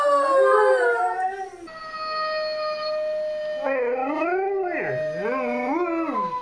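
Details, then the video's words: A dog answers the Zootopia howl. Its voice is wavering and rises and falls in smooth swoops, and its last notes bend downward. A flat, steady tone sounds in between. "Dogs howling to Zootopia howl"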